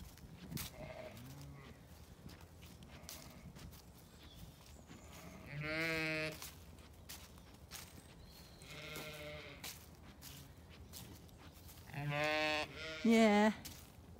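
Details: Zwartbles ewe in a paddock on a County Kilkenny farm in Ireland, calling for the lamb she left asleep. Several loud, harmonic, wavering bleats come several seconds apart, the last two close together, over low farmyard background noise.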